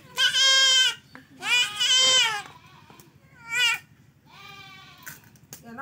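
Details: Male goat being castrated cries out in three bleats, two long quavering ones about a second each, then a shorter one, with faint voices and handling noise between.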